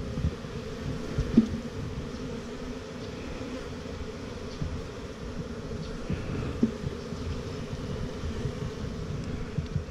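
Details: Honey bees at a new hive on 28 September 2018, a steady low droning hum of many wings running through the whole stretch, with faint rustling and a couple of soft clicks.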